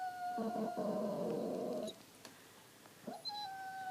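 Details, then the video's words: Dog throwing a temper tantrum after pushing his bone under the sectional sofa on purpose; a sustained high whine with a rough, noisy stretch, then a brief rising yelp and another long steady whine indoors. "My Dog Throws Temper Tantrums"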